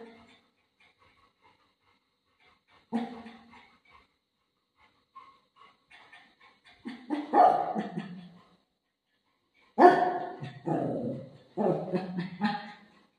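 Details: Pet dog waiting for its owner outside the washroom indoors: a brief yelp, then longer whining cries and short barks in bursts, with quiet gaps between.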